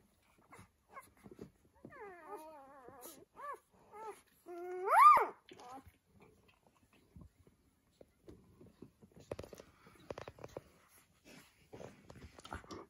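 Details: Newborn Rhodesian Ridgeback puppies, seven in the litter, born 29 April 2020, indoors; high tonal squeaks and whines with rising and falling harmonic sweeps, a louder rising squeal near the middle, then soft scattered snuffles and faint squeaks.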